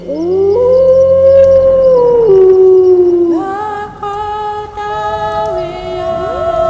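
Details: Wolves in Bavaria, Germany: a long, smooth howl swells upward, holds level, then slides gradually down before several overlapping howls at different pitches join into a sustained chorus.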